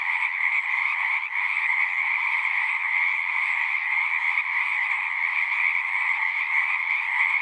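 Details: Frogs singing at a pond in a horse pasture, recorded with a Zoom recorder: a dense, unbroken chorus of many callers forming a steady shrill band, with a lower trilling layer beneath, no pauses across the stretch.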